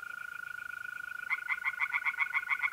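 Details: Pond tree frogs on an April night in north-east Italy. A steady, pure mole cricket trill plays alone at first, then a bright train of rapid, evenly spaced frog croaks bursts in and continues over it.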